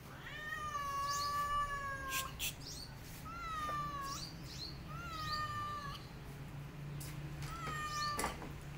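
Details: Protective mother cat facing a white cat near her kittens utters four long, even meows in a row, each a sustained nasal wail of over a second, separated by short pauses and sharp clicking knocks.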